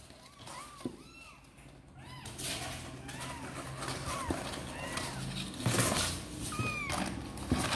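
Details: Kittens named Sor and Kapov, seemingly eager to come out and play, give many short arched meows, several overlapping at different pitches, against a steady low background hum and occasional knocks.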